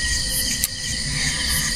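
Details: Crickets (kuliglig) calling at night around a quiet solo campsite at Tanay Epic Parc Rainforest Camp in the Philippines after earlier rain; steady layered high-pitched trilling bands with a brief click midway, continuous throughout.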